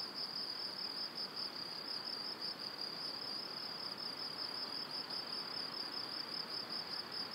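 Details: Crickets in the evening near a cereal field and forest in Powidz Landscape Park, Wylatkowo, Poland, in spring: a dense, continuous high-pitched trill with fast pulsing, steady throughout, over soft broadband background hiss.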